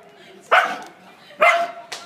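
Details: Female dog barking at her own reflection in a mirror: two sharp, loud barks about a second apart, then the start of a third, with Korean speech afterwards.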